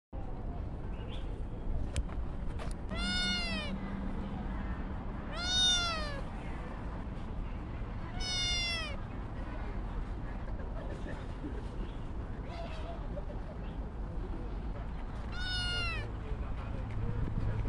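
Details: Kitten meowing repeatedly, four clear harmonic-rich meows at roughly 3, 6, 8.5 and 16 seconds, each arching up then falling, with fainter mews between over a steady low background hum.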